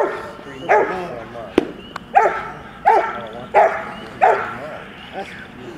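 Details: Max, a ten-and-a-half-month-old Rottweiler puppy, at bitework training: a run of five or six harsh barks roughly every 0.7 seconds, a few sharp knocks among them, with voices underneath.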